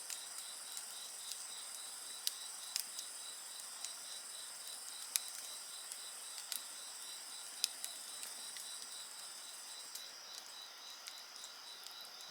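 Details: Continuous shrill insect trilling fills the background while a bonfire snaps and pops frequently, giving sharp clicks over the steady layered chorus.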